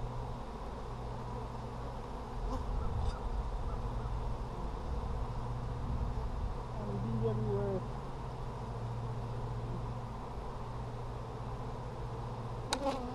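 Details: Honey bees at an Apimaye hive during a July 23, 2020 brood inspection; a steady low hum of the colony throughout, with handling noises and brief faint voices.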